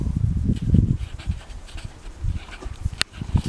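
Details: A horse named Cody nickers in reply to a human coaxing it to talk. A brief, deep, vibrating flutter opens the recording and then softens into quieter low murmurs, with one sharp click near the end.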